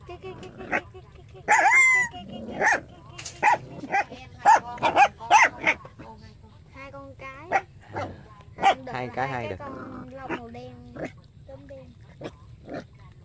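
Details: Puppy barking in a burst of shrill, squeaky yaps, several in quick succession, then people chatting in Vietnamese with a few scattered yips between their words.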